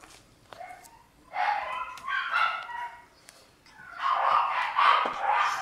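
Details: Shiba inu named Kyu growling while squabbling with another dog, having gone in boldly and been pushed back; rough, harmonic snarling bursts at about one to one and a half seconds and again from four seconds, with a brief quiet gap between.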